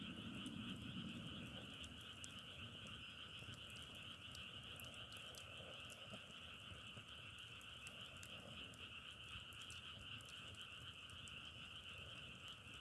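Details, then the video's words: An unbroken frog chorus forms a constant, even high trill, with brief ticking clicks and a low rustle early on. "자연의소리 장작타는소리=개구리소리"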